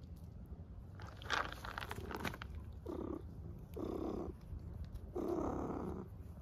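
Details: Stray cat in Istanbul, fed on the street, purring in low rumbling bursts of about a second each, repeated with short pauses, after a brief louder squeak near the start.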